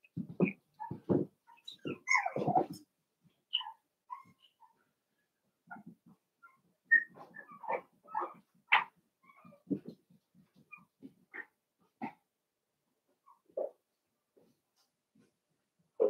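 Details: Cavalier King Charles Spaniel puppies playing indoors in a home puppy pen: soft scattered yips, squeaks and little whimpers, a cluster of louder ones early on, then sparse faint squeals with quiet gaps between.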